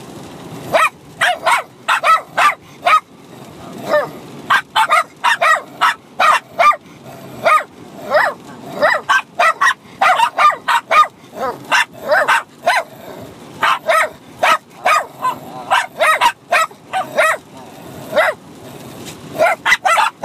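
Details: A 6-month-old Bichon Frise puppy and an older dog trade rapid, high-pitched yapping barks in quick overlapping bursts, fighting and playing at the same time.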